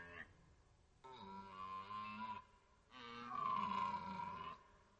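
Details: Red deer in rut at Orzysz training ground, archival: two sustained, powerful roars, the second louder and longer, deep and strongly harmonic with a slightly falling tone, after a brief opening grunt.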